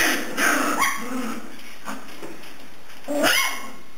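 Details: Puppies three and a half weeks old at home in the morning: short yelping whimpers near half a second and another sharp rising yelp around three and a quarter seconds, with softer low grunts between.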